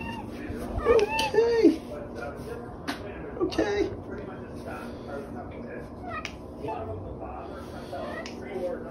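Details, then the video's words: Pet cat chatting with its owner in the morning indoors, giving two drawn-out wavering meows early on, then a shorter one, while a person repeats "okay" and a loud television plays in the background. "Talking Cat Says It Is Time For Coffee"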